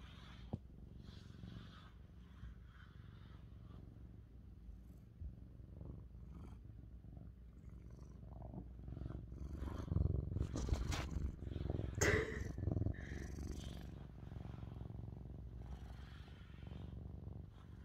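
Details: Mićo, a male tabby point Siamese cat, purrs loudly as he is brushed, a continuous low pulsing rumble that swells in the middle under bursts of rough brush scraping and rustling.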